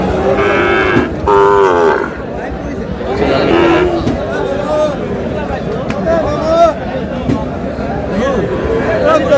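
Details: Sahiwal bull calves offered for sale, bought by a farmer from Noakhali: two loud, harmonic moos in the first two seconds, then a third lower call, over men bargaining over prices and crowd chatter.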